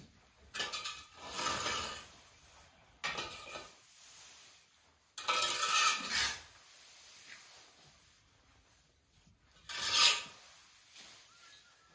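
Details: Clattering and rubbing noises like dishes and utensils, with no animal voice heard.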